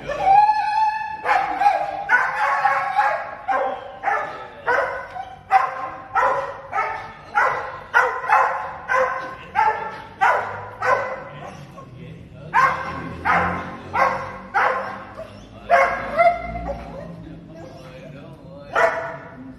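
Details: A six-year-old male Border Collie gives quick, high, yelping barks in an eager rhythm as he greets his owner in a Bangkok parking lot on 23 May, after weeks apart.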